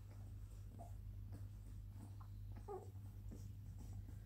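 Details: Twenty-day-old Labrador Retriever puppies, still nursing, make a few brief, thin squeaks and whimpers, two clearer ones standing out, against a constant low electrical hum.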